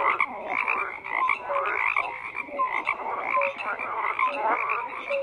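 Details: Overlapping frog croaks form a steady, buzzing chorus, with a few short, clear tonal notes rising above the rattling background.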